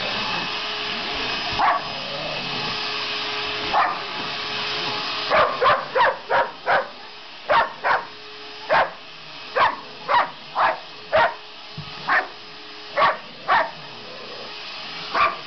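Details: Sasha, a pet dog that hates the vacuum, barks repeatedly at the running machine; sparse barks at first, then a quick, steady volley of about a dozen short barks over the constant vacuum drone.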